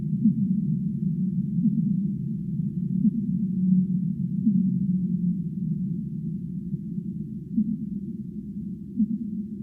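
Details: Deep-sea whale vocalizing in low, muffled moans, with brief rising swoops scattered every one to two seconds over a continuous droning rumble that swells and fades slightly; no other sounds stand out.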